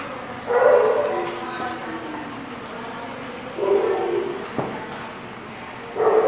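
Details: Dogs at a kennel-like lot recorded on October 30, 2017, giving short harmonic barks and yips in bursts near the start, middle and end, with a sharp knock and steady background hum between.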